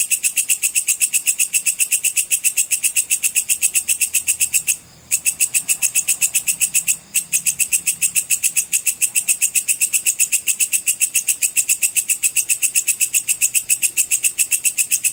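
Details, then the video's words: Sword grasshopper calling with the full chirping 'cicir' sound, used as a tutor for training competition songbirds: a dry, high, buzzy pulse repeated steadily, several per second, with two brief breaks near the middle. "suara belalang pedang cicir full"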